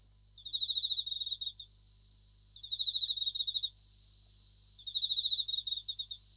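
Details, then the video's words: Japanese bell crickets at night producing a steady high ringing tone, with separate bursts of fast pulsed chirps, each lasting about a second, spaced a couple of seconds apart. "Japanese Bell Crickets at Night"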